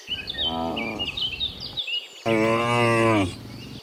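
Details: Morning moos from cows walking from the field back to the barn: a softer lowing moo, a short pause, then a louder, rich, drawn-out moo, with chirping birds behind.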